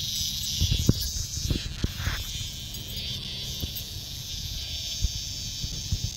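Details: Cicada calling loudly outdoors while Bella the dog investigates it on a walk; a continuous hissing, high buzz holds steady throughout, with scattered low knocks and scuffling close by.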